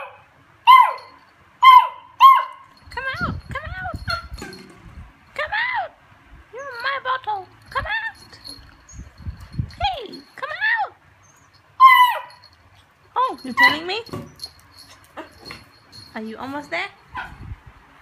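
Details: Beagle whining and whimpering while playing with a recycled Coke bottle; high, arched whines around one kilohertz come in repeated bursts, some rising and falling, with a person talking in between.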